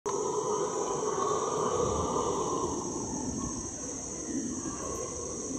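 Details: Howler monkeys in the Ecuadorian Amazon, heard from a canoe: a distant, continuous droning roar with layered low moaning tones, under a steady high insect whine from the surrounding rainforest.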